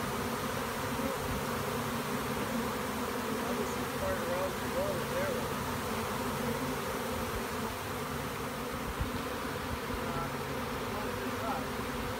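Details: Honey bee swarm on 30 April 2017, returning to its original hive after leaving the hives and settling in a tree where a nuc box with frames was placed; dense, continuous droning buzz throughout, with a brief wavering whistle and faint voices.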